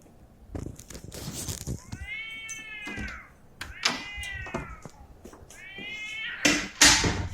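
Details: Cats fighting outside a house, stray black-and-white cat against another: three bending, wailing yowls, with sharp knocks, rustling and clatter nearby.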